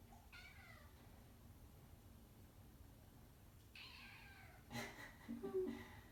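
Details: Kitten meowing while wanting to go outside on a rainy day, staying at a person's feet indoors: two short, plaintive falling meows a few seconds apart, then a thump and rustling near the end.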